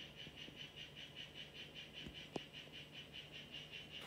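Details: Mimic poison frog, Ranitomeya imitator of the Chazuta form, kept in a terrarium: a steady run of short, high-pitched chirps repeated at an even pace for the whole stretch, with one sharp click partway through.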